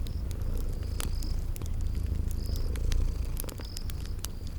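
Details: Deep, even purr of sleeping kitties by a crackling fireplace, with scattered snapping crackles and short high chirping notes against a spring garden backdrop.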